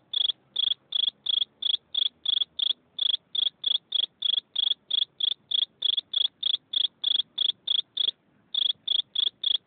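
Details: Loud, clear cricket chirps repeating about three times a second in a near-continuous series of short ringing trills, with one brief break near the end; no other sounds stand out.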